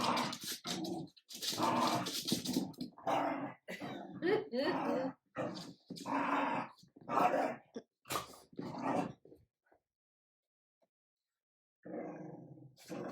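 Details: Adult Jack Russell terrier and French bulldog puppy Ubi indoors, the terrier showing the persistent puppy who is leader: rough bursts of growling and snarling in quick uneven runs, broken by short gaps, then near silence before a final growl.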